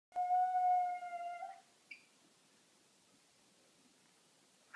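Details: Jack, a pet cat, reacting on seeing a huge cat on the back porch. One drawn-out, steady, tonal yowling meow lasts about a second and a half, then falls quiet apart from a faint click.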